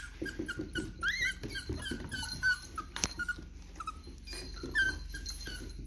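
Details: Miniature Dachshunds wearing collars for the first time, whining in short high whimpers that rise and dip, several in quick succession over six seconds, with soft thumps and shuffling between them.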